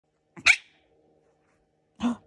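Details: Teacup chihuahua puppy giving two short, sharp, high-pitched barks about one and a half seconds apart, the first louder and crisper, the second softer, in an otherwise quiet room; a person's voice follows.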